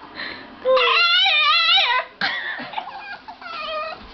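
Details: House dog letting out a drawn-out, wavering whine that rises and wobbles in pitch, then breaks into shorter quavering moans.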